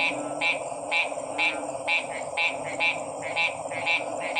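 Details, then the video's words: Frog croaking in crisp, evenly spaced pulsed notes about twice a second, nine or ten in a row, over a continuous high whine and a murmuring chorus below. "Sounds of 🐸 Frog's"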